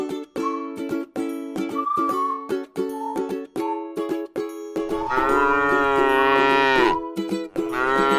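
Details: Plucked ukulele-like music plays at first, then a tame cow resting in a rice field lets out a sustained moo, followed by the start of another.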